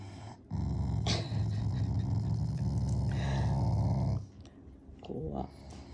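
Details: Pet Shiba Inu growling as a playful show of affection toward its owners, not anger: a low, rough rumble sustained for about three seconds, then a softer growl after a pause, with some speech mixed in.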